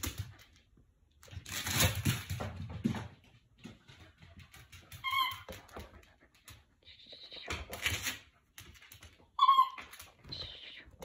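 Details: Jack Russell Terrier playing inside a room, letting out brief high squeaky whines at intervals, the loudest near the end, with handling noises and rustling between calls.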